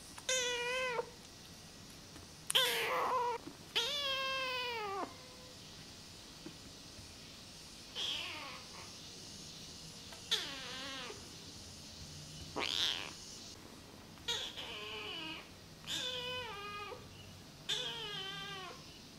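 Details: Rescued feral kitten Namba, one-eyed, calling out indoors in its first week; loud, high, harmonic-rich meows, some rising then falling, repeated about every two seconds, a few sharp and strained, over quiet room background.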